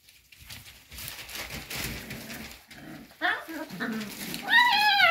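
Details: Cocker spaniel puppies asking to be let out, faint murmuring at first, then a sharp high whining yelp near the end, rising and falling, indoors.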